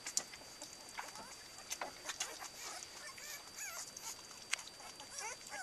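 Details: Litter of 16-day-old Cardigan Welsh Corgi puppies at their first ever meal, fed from a large round bowl called the flying saucer; faint, high, rising squeaks and whimpers come in short bursts over a steady thin whine and soft rustling.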